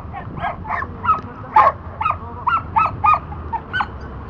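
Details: Excited yapping from Dante the Border Collie during disc dog back vault work: about ten quick, bright barks in steady succession, each short and sharp, over faint background hum.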